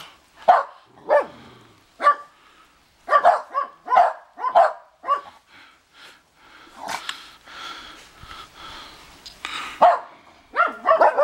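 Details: Dogs barking outdoors at a house in Big Bear during a first snowfall, set off by hearing the neighbours' dogs: short, sharp barks come in irregular bursts, some doubled, spaced about half a second to a second apart, with a few overlapping yips.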